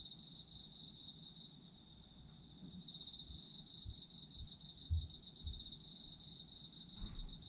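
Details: Autumn insects keep up a steady high, rapidly pulsed trilling chorus while a few soft low thumps and knocks sound in the background.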